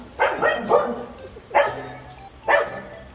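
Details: Indoor dog barking at her own reflection on a TV screen; four sharp, harsh barks, two close together then single ones about a second apart, with a person talking afterwards.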